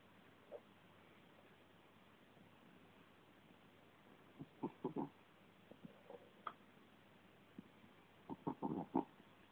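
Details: British Shorthair cat named Burzhuy snoring, with quiet stretches broken by two bursts of rough, rattling, pulsed breath sounds about four seconds apart, plus a few faint isolated clicks against a low steady background hiss.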